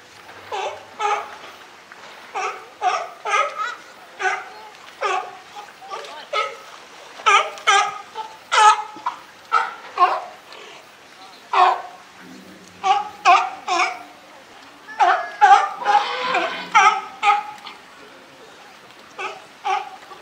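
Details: Rough, repeated barking from California sea lions in the group headed by Felix at Higashiyama Zoo and Botanical Garden, September 2023; uneven bursts of coarse honking barks continue for twenty seconds with short gaps between volleys.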